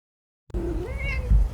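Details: Father cat at home acting cute in front of its owner to get food, giving one clear drawn-out meow that starts low, rises and holds, lasting about a second.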